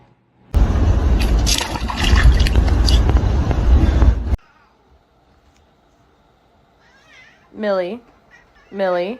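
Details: Domestic cat in a funny cat compilation. A loud burst of rustling noise gives way to quiet, then two short, strongly harmonic meows about a second apart, each sliding downward.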